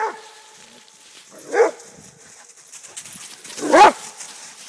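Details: Rhodesian Ridgeback father Akono and son Ghandi in a friendly fight alongside their friend Paul; two separate gruff barks over a quiet background, the second louder and rougher.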